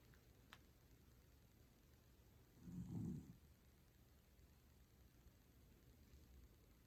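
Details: Toy Poodle Pusuke snoring while deeply asleep: one low, rumbling, faint snore swells and fades near the middle, otherwise quiet room hiss.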